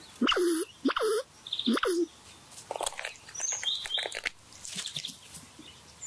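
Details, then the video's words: At breakfast, a red squirrel gives three loud, nasal, down-curving calls, then a burst of dry, rapid clicking chatter; thin high bird notes whistle in the background. "Red squirrel breakfast talks"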